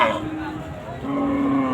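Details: Local cows at the Chandaikona cattle market, Bangladesh, on a Sunday in 2024: a steady, low, droning moo holding one pitch, over a busy background of crowd chatter.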